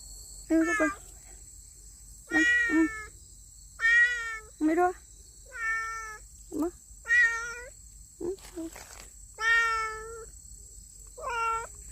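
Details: Stray street cat, a yellow cat, being fed chicken breast at its old feeding spot; a series of about eight loud, harmonic meows, some rising then falling, spaced roughly every one to two seconds, with a woman's voice and steady high-pitched insect buzz behind.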